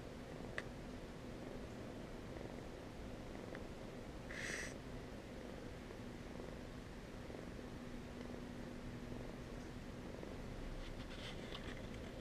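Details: Purring from Abelard, a fluffy orange male foster kitten from the Goblin litter, slowly warming up to people. He began a few minutes after the person sat down. A soft, continuous low rumble carries on throughout, broken once midway by a short bright squeak.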